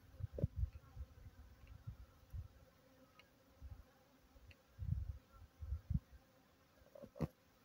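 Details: Kept honey bees visiting a water supply provided for them, with low, droning buzzes swelling and fading in short bursts as insects fly close past, several passes over a few seconds against a quiet background.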